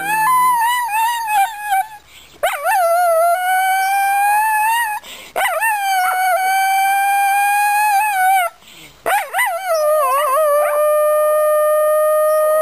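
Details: Small Shetland sheepdog howling, described as singing a love song: long, sustained, rising, tonal howls with rich harmonics, each lasting two to three seconds, separated by short breaths, the last held steady and wavering.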